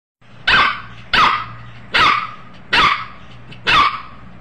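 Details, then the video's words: A puppy barking: five sharp, bright barks spaced roughly evenly across the recording, each a short broadband burst with a strong tone near the middle, and a faint low hum in the background between them. "cute puppy barking"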